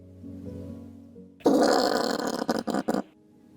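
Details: A common brushtail possum, a nocturnal tree-dwelling Australian marsupial known for pig-like grunts, gives a harsh, rasping grunt lasting about a second and a half, breaking into short bursts at the end, after soft background music.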